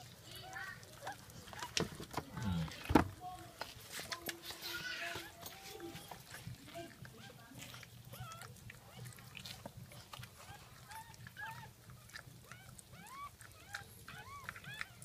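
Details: Newborn Jack Russell Terrier puppies from a second litter, one spotted like its father, recorded at 5:35 am on 17 October 2014 during the birth: short arched squeaky cries repeated about once a second, with Tagalog speech and a clatter early on.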